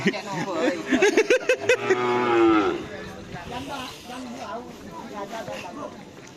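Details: Madurese racing cattle at karapan sapi bull race training in Pamekasan: a drawn-out, wavering moo in the second to third second after a run of short rhythmic sounds, with people chattering and laughing around.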